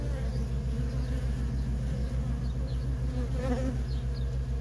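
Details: Honey bee workers busy at a wild feral colony: a constant, pulsing low hum with a brief louder buzz of a bee passing close midway.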